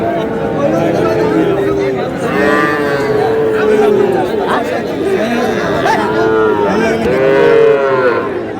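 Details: Small bull and heifer calves at a cattle market, 21 February 2026, during haggling; repeated moos, about five in eight seconds, some slightly rising or falling, with steady crowd chatter throughout.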